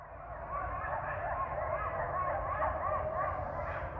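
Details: Coyote pack in Ash Brook Reservation at 7:30 in the morning on 12/7/19, apparently calling in response to a member left separated from the pack; overlapping wavering yips and howls in a continuous chorus, with low background rumble.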